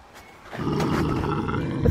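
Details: Canada lynx in March, growling as a person approaches his t-shirt: a low, rough, sustained growl building after half a second of quiet and holding steady, with a woman's voice shouting just before.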